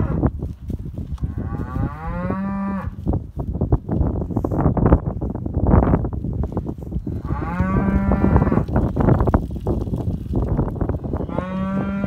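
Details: Hereford cow lowing three times, long moos with clear harmonic bands around two, seven and eleven seconds, over steady low rumbling background noise with frequent thumps and knocks.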